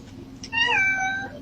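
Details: A domestic cat gives a single drawn-out meow, rising briefly then falling and holding steady for about a second, over a low background hum.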